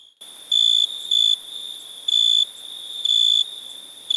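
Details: One loud cricket gives sharp, bright chirp bursts of about a third of a second, spaced irregularly over a soft steady trill of background crickets.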